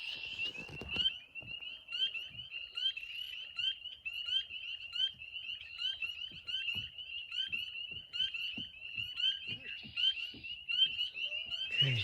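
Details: Spring peepers, tiny nocturnal frogs, calling in an evening marsh: a dense, steady chorus of short, high, upslurred peeps overlapping without pause, with faint low taps and knocks beneath.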